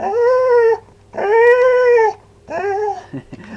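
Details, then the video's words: Domestic dog indoors, asked repeatedly whether it wants to go outside, answers with three sustained howling whines, each slightly rising then level and falling at the end, the last shorter and softer, ending in faint huffs. "funny dogs sounds"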